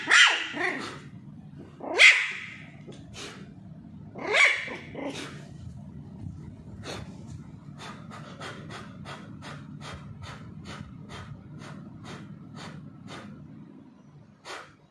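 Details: Charlie, a Pomeranian puppy playing with a ball, gives three shrill barks in the opening seconds, followed by a long series of light, regular clicking taps and a last faint yap.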